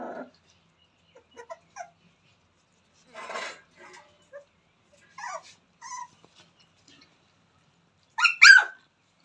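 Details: Newborn Rottweiler puppies from Jerry's litter at play, giving scattered short squeaks and soft yips between quiet gaps, then a sharp, louder double yelp near the end.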